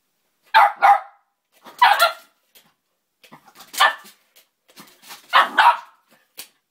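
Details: Female pet dog barking at a measuring tape she hates and won't let be used: four sharp, separate barks, some doubled, spaced about a second or more apart, in a quiet indoor setting.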